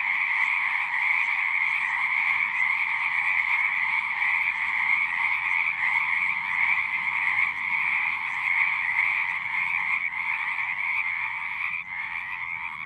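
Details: Chorus of singing frogs, continuous overlapping croaks in two bright bands, pulsing roughly ninety times a minute, softening slightly near the end, with a soft low rumble below.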